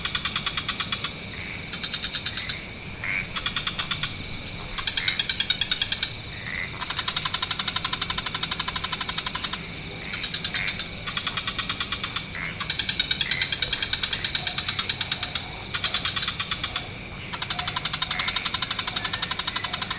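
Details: Wetland frog chorus as dusk falls, several species: rapid pulsed trills in bouts of about one to two seconds, returning again and again, callers overlapping, over a steady high hiss.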